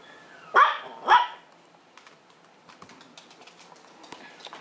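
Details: Two quick high-pitched barks about half a second apart from Lupin, a pet Maltese at Herzen rein kennel, followed by quiet indoor tapping and rustling.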